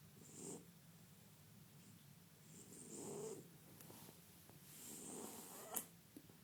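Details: French Bulldog snoring in its sleep, three raspy breaths with a whistling hiss, the last one ending in a sharp snort.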